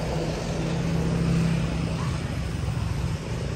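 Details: A steady low engine rumble of passing traffic fills the scene, with no animal voice heard. Faint urban background noise runs throughout.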